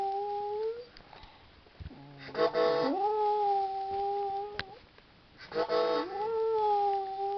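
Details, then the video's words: Pet dog named Ned singing along to music played at home: long steady tonal howls with a harmonic above, rising into each held note, alternating with brief tonal musical passages. "Dog singing"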